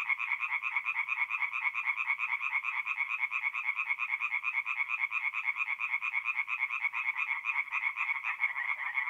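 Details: Tree frogs singing at night at a forest pond in north-east Italy in mid-April: a dense chorus of rapid, pulsing nasal croaks, two bright bands of sound throbbing several times a second without pause.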